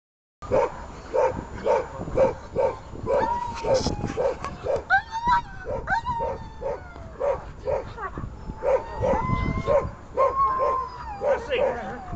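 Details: German Shepherd in protection-service training on grip placement, 19 December 2018: loud, harsh barks repeated roughly every half second, with short whistled tones and brief speech between bursts.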